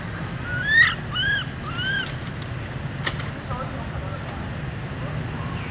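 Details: Newborn monkey, stolen by another mother, crying loudly: four arched, whistled wails rising then falling, each about half a second, packed into the first two seconds. Softer short cries follow over a constant low rumble like traffic.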